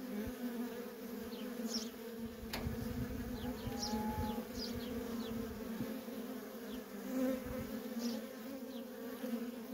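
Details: Steady hum of worker honey bees trafficking nonstop at a feral colony, a droning low buzz with overtones, while faint high bird chirps flick in the background.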